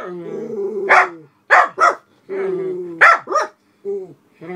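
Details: {'text': 'Senior black Miniature Poodles at a house window reacting to a person walking a dog past; sharp barks come in pairs between drawn-out whining, groaning vocal sounds.'}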